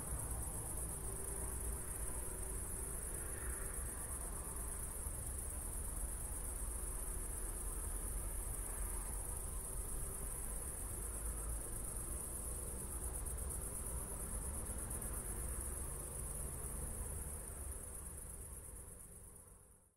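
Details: Crickets chirping at night just after a thunderstorm near Zwettl, Austria, on an evening walk with city lights in the distance; a steady, unbroken high-pitched shimmering chorus runs throughout over a low rumbling background, fading slightly at the end.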